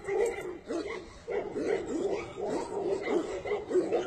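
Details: Several Tibetan Mastiffs give short, rising yelps and whimpers in rapid succession, some bending upward in pitch, forming a busy chorus with a brief pause near the start.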